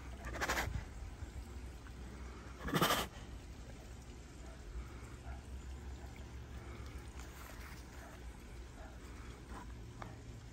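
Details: Bengal tiger at an animal preserve in Naples, Florida chuffs, a friendly greeting: a couple of soft, breathy puffs through the nose, each brief and separated by a pause, over a low steady hum.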